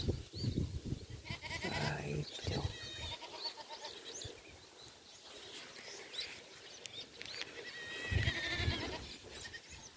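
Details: A goat kid, apparently separated and unable to reach its mother, gives wavering, crying bleats much like a baby's wail, with a person talking nearby, during rainy weather.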